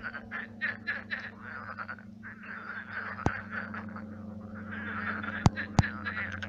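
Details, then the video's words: Numerous frogs croaking at night at a pond that has dried into a swamp, overlapping rattling croaks repeated rapidly and unevenly, with a few sharp clicks and a low steady hum. "Кваканье лягушек. Лягушки квакают."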